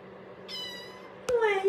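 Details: Domestic cat giving a short meow that slides downward at the end, after a fainter, higher harmonic tone; quiet background with a little voice nearby.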